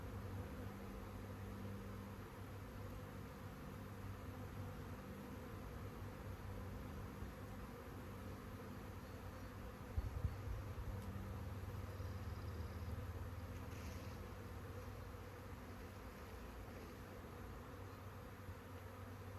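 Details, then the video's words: Swarming honey bees, a colony of some 140,000, outdoors on a clear day; continuous low buzzing drone with steady banded tones, a brief louder knock near the middle and faint higher rustles later. "Bee SWARM!"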